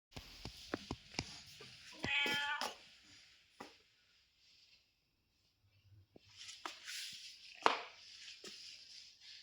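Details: Street cat giving one short harmonic meow of under a second, set among repeated sharp clicks and tapping noises, with quiet gaps between.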